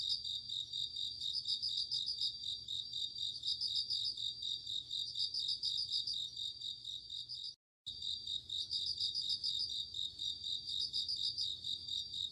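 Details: Crickets singing on an autumn night: a steady high shimmering chorus with brighter pulsed trills every second or two, broken by a brief full silence just before the eighth second, then resuming.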